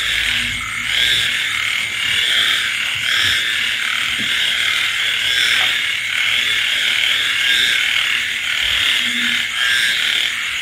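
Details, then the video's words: Frogs and insects calling together on a rainy night: a dense, steady high-pitched chorus with a few short, low, hummed croaks at irregular intervals, about 27 a minute. "tiếng côn trùng ếch nhái kêu trong đêm mưa"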